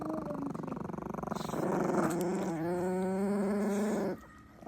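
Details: Two Chihuahuas, angered while eating, give a low buzzy growl with rough, pulsing harmonics that swells after a brief rumble, holds steady for about three seconds, then cuts off abruptly.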